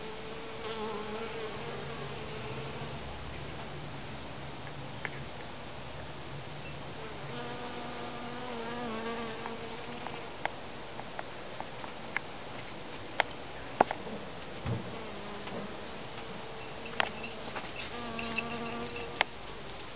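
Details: Honey bees pollinating white and yellow Shasta daisy flowers in a garden in spring or summer; low droning buzzes come and go, rising and fading in short passes over steady background hiss, with scattered small clicks.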